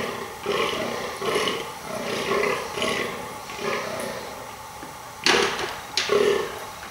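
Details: A rutting fallow deer buck groans almost non-stop to impress females, a deep, hoarse belch repeated about once a second.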